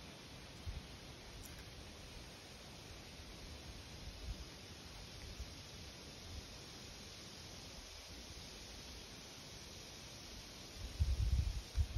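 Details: Steady broadband hiss with low rumbling and a few soft bumps, but no clear animal voice. A brief louder thump comes near the end.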